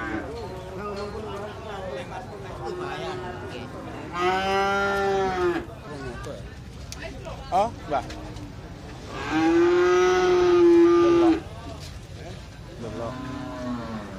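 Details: Calves and cattle at the Jetis animal market in Ponorogo, Indonesia, on a Jumat Pahing market day: two long, loud harmonic moos with a slight rise and fall, around 4–5.5 and 9.5–11 seconds, plus softer lowing, over a steady crowd murmur.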